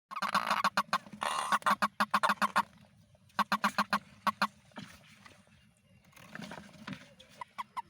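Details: Toad calling in the rainy season: bursts of short, nasal honking pulses in quick runs, loud at first, then a second run, then quieter, scattered notes toward the end.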